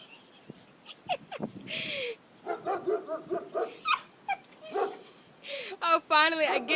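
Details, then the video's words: Kisses, a pet dog, barks at a small turtle hiding in its shell; a quick run of short, uneven barks mixed with a person's laughing speech, plus squeaky whining near the end. "kisses barking at a turtle"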